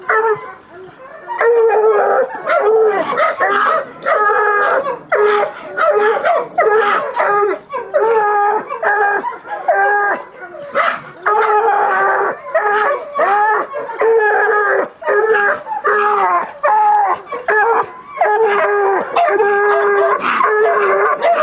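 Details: Female Black and Tan Coonhound aged 20 months working her second raccoon, caught in a chicken pen; sustained run of repeated bawling howls and choppy bays, steady and insistent throughout with short pauses between calls.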